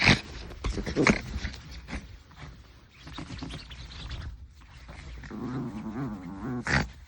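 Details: Maltese puppy in a mock fight with a hand, scuffling and snorting before a sustained, wavering low growl near the end, followed by a sharp rustle.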